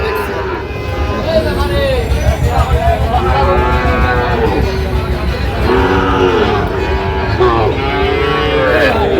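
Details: Sahiwal bull calves at a cattle market in Sylhet, Bangladesh, on 26 September 2025, give several drawn-out, harmonic moos spaced a few seconds apart while men talk and bargain close by.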